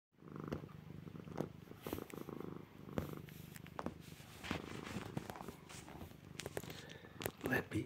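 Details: Rescue cat purring while chewing on its owner's shorts indoors; a steady low rumbling purr runs throughout, broken by a man's voice speaking and brief handling noises.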